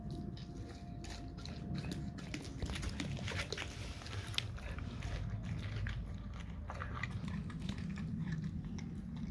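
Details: A dog chews raw cow tongue, giving sticky, uneven bites and smacks over a steady low hum, with a faint thin tone running through the first half.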